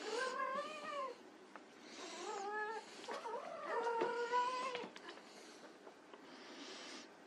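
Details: Playing white Persian kittens indoors give a run of clear, tonal meows, some rising then falling, others flatter and longer, spaced about a second apart between quieter rustling gaps.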